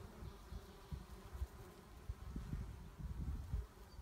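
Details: Honey bees at the one hive left of four after winter, a colony described as angry and quick to attack when opened; a steady low hum with irregular thumping, rustling bursts throughout.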